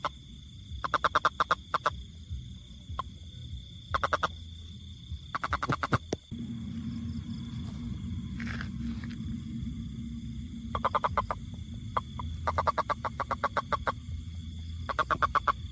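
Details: A toad gives bursts of fast, rattling clicks, several runs spaced a few seconds apart, with a louder low rumbling noise filling the middle stretch and a faint brief call near the centre.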